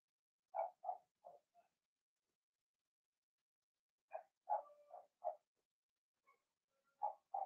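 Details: Squeaky, repeated little yelps in quick runs of three or four from Blenheim Cavalier King Charles Spaniel puppies, a litter of six born March 7–8, kept indoors in a puppy pen during potty training; quiet pauses between runs.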